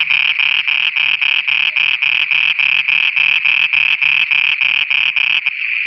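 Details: Frogs singing after dark in Pakistan: a steady series of harsh, pulsed croaks, about three or four per second, over a sustained high ringing hum. The calls cease just before the end.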